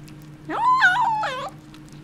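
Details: Kitten with a bone gives a single strained call of about one second: a sharp upward scoop into a held, slightly wavering tone, then a second lower, nasal segment that falls away. A low background hum runs throughout.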